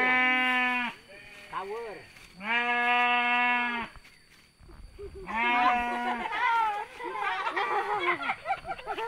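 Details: Domestic sheep during mating in the village of Sirna Rasa: three loud, steady, harmonic bleats, each about one second long, separated by human speech and chatter.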